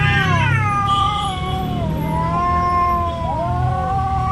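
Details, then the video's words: Domestic cat fighting over territory, producing continuous wavering yowls that dip and rise in pitch, swooping down and climbing again several times over steady low background rumble. "cat making weird noise | cat fighting scene | cat territory place fight"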